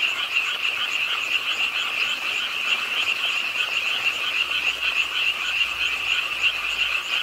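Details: On a rainy late night at a park pond in Suwon, South Korea, a dense frog chorus trills and croaks in a steady, high-pitched din, mixed with the sound of rainfall.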